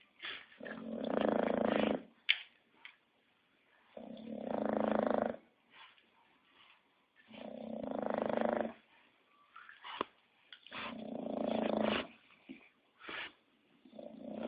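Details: Snoring English Bulldog: four loud, rattling snores, each over a second long, spaced about three seconds apart, with soft wheezy snorts in the gaps.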